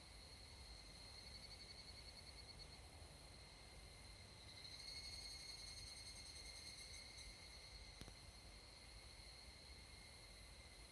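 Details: At dusk in summer mountain forest in Japan, evening cicadas (Tanna japonensis) sing: rapid pulsed phrases rise briefly above a continuous high-pitched insect drone, with one sharp click partway through.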